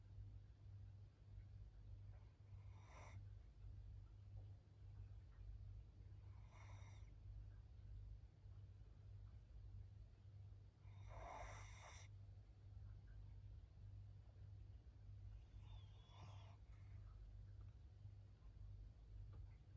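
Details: Maria, a 13-year-old fawn female senior Pug in Japan, recorded 14 April 2024, snores softly: four breathy, rasping bursts spaced roughly four seconds apart over a steady low indoor hum.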